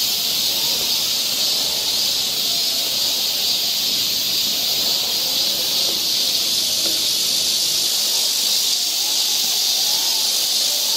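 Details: Korean summer forest trail in Seoul filled with cicada song, a continuous shrill hiss sustained at constant loudness, while faint lower wavering tones drift beneath the insect chorus.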